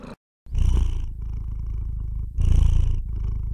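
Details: Domestic cat purring steadily, a deep rumbling throb that swells louder on two breaths, the first just after a brief silence at the start and the second a couple of seconds later, softer purring continuing between them.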